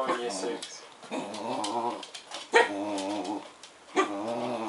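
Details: Suki, a black Bedlington Terrier, makes funny noises indoors while greeting Kyle, an English bull terrier in his crate, with Bailey nearby. Drawn-out, harmonic, moaning whines rise and fall in several bursts, with a sharp squeak between and human speech mixed in.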